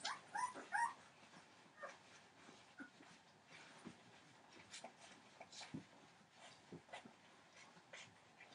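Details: Fifteen-day-old Entlebucher Mountain Dog puppies of one litter born 28 December 2013: a burst of loud squealing whimpers at the start, then fainter, irregular high squeaks and rustling movement.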